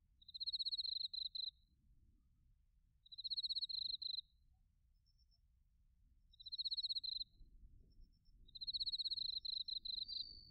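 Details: Autumn crickets, bell crickets and field crickets, recorded in Narita, Chiba, Japan, on a TASCAM Portacapture X8: high, rapidly pulsed chirp bursts about a second long, repeated four times, with a faint higher trill between them over a low rumble.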